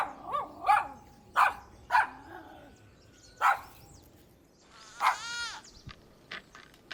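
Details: Playful outdoor toy tussle between puppies and their mother dog: several short barks spaced about half a second apart, then a drawn-out, wavering whine, with soft background noise.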